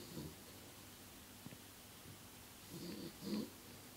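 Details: Thirteen-year-old pet dog snoring while having a bad dream: soft, breathy snorts, one early and two louder, rougher ones near the end, over a steady quiet hiss.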